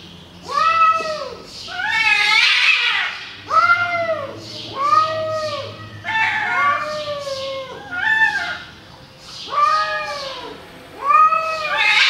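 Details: Angry cats fighting, a long series of drawn-out, wavering yowls with rich harmonics, each arching up and falling, repeated roughly every one and a half seconds with a harsher hissing burst near the start.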